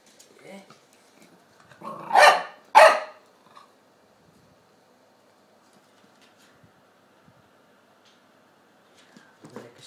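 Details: Tony the two-year-old Chihuahua and eight-week-old Staffordshire pup Dexter at play in a small room. A soft yip, then two loud, harsh barks close together, followed by near silence and a faint sound at the end.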